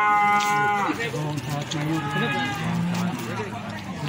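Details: At the Plaosan cattle market in Magetan, feeder cattle give a loud, falling moo in the first second, then fainter lowing continues under busy chatter and bargaining voices of the market crowd.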